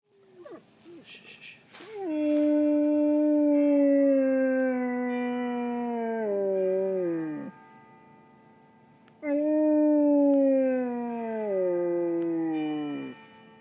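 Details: Pet dog about one year old howl-singing in tune with Marylhurst church bells: after a few short whimpers, two long, loud howls each start high and slide slowly downward for several seconds, with bell tones ringing behind.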